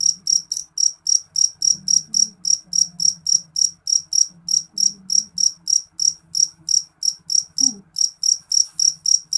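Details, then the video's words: A jeliteng cricket sings loudly with crisp, high-pitched chirps repeated about three and a half times per second without pause; a faint low hum and one brief soft noise near the end. "Suara jangkrik jeliteng nyaring"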